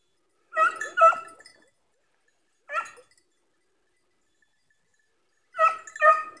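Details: Beagle and Segugio hunting hounds barking during an August hare hunt: sharp, harmonic barks, mostly in quick pairs, with a single bark between and long silent gaps. No other clear sounds.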